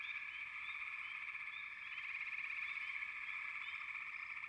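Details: Frogs calling together in a dense chorus: a steady, buzzing trill holds throughout while short, bright upward chirps pop out above it every fraction of a second.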